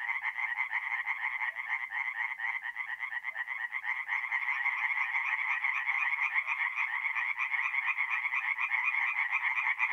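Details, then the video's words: Night chorus of many tree frogs at a forest pond in north-east Italy in mid-April; fast rattling croaks overlap into a steady, throbbing high-pitched drone that swells slightly toward the end. "relaxing forest pond by night with singing tree frogs"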